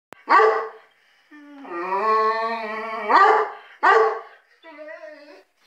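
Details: Dog barking: a sharp bark, then a long drawn-out, howl-like whine that rises at the end, followed by two more loud barks and a shorter, softer wavering yelp.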